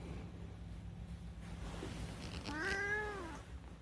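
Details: Unagi, a rescued pet cat in Japan, talking at night during summer holidays; one drawn-out harmonic meow rising then falling near the end, after a quiet stretch with low room hum.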